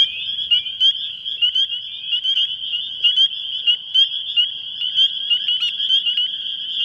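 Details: Spring peepers on Long Island in spring, males calling from reeds in flooded bogs, swamps and vernal pools to attract females: single piercing peeps answered by thousands more, blurring into a continuous shrill, unbroken wall of breeding chorus.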